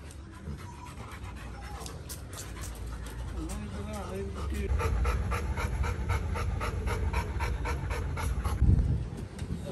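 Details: Little John, a male Labrador Retriever, pants in quick, even breathy bursts, several per second, through the second half. A man speaks Tamil over low rumbling background noise in the opening seconds.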